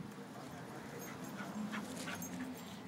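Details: Two dogs, a cocker and a three-month-old pitbull, pulling in a tug of war game make a low, drawn-out growling whine. It wavers in pitch over a steady, noisy background.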